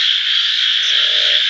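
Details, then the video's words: Frogs calling in a dense chorus: a steady, high, hissing trill runs throughout, and a lower, softer pulsed croaking joins in partway. "voice of frogs"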